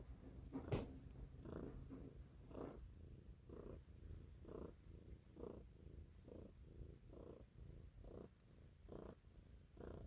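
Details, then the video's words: Stella, a domestic cat, purring loudly indoors: a low rumbling purr that swells and fades in steady breath cycles roughly once per second, inhale and exhale pulses clearly alternating, with a brief click near the start. "Stella's purring loudly / Cтелла громко мурлычет"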